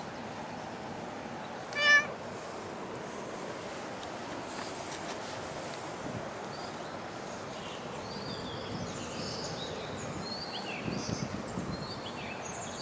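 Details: Cat at Dockyard Garden, early morning of 21 August 2016, giving one brief, clipped meow near the start, then a long stretch of low ambient rumble with faint high chirps and clicks.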